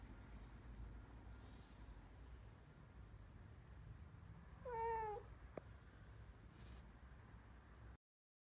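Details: Black kitten, once rescued, giving its later, current meow; a single short clear meow with a gentle downward bend, set against a low continuous room hum and a sharp click afterward.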